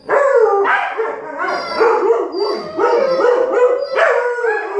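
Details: An argument between a Malamute puppy and a husky turns into howling: continuous overlapping wavering howls and yodel-like woo calls, rising and falling without pause, two dogs answering each other.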